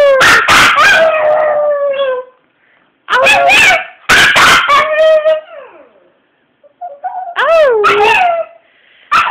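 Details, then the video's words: Singing Chihuahua howling in short wavering phrases, some bending up then down in pitch, with gaps of silence between them. Loud claps and bits of human voice break in between the howls. "frankie sinatra the singing chihuahua"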